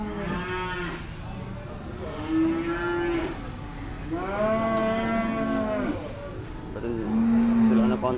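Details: Cattle at the Dimoro market in Blitar, Indonesia, during sale negotiation; several mooing cattle, with four separate moos spread over eight seconds, some deep and flat, one louder and rising, over steady background chatter.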